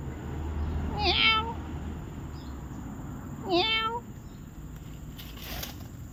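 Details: Pet cat in a family home, giving two clear meows about two and a half seconds apart, each a short harmonic cry that bends downward, with faint low room hum between.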